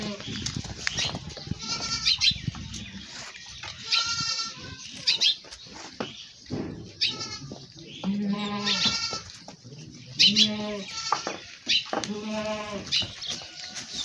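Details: Goats in a village during milking give repeated quavering, nasal bleats, some short and some drawn out, coming every second or two across the stretch, over clattering, rustling farmyard handling noise.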